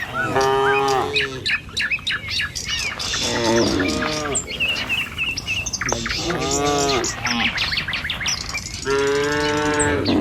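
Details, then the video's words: Morning on a village road as a herder drives tame cattle in a line toward the fields to feed. Several long, wavering moos rise and fall amid steady high bird twitters. "Suara Sapi Moou Sepanjang Jalan Desa"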